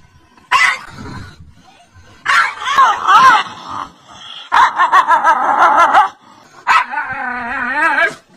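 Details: Frightened dog barking loudly at its reflection in a mirror: a short sharp bark, then three drawn-out yelping, wavering wails with quick barks between them.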